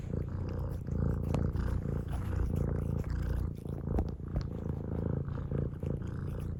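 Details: Close, loud purr of a domestic cat, an unbroken low buzzing rumble with rhythmic pulses and slight changes in strength between inhaled and exhaled phases.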